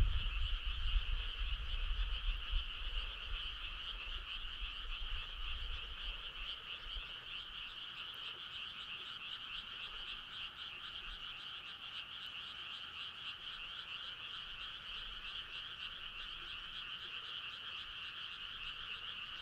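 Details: A midsummer-night frog chorus with many callers: a constant buzzing wall of croaks at two pitch levels, steady from start to finish, with a low rumble fading out during the first few seconds.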